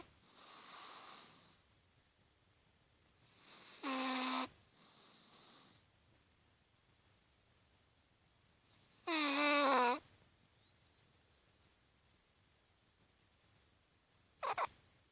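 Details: Snoring Chihuahua in a deep sleep, breathing in a slow, uneven cycle: faint airy exhales alternate with short, loud, whistling and rasping snores, about four across fifteen seconds, the last one brief and clipped.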